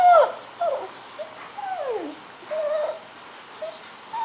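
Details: Scottish Terrier puppy Angus, not yet a year old, excited by videos on screen, gives scattered soft whimpers and thin falling whines with quiet gaps between them.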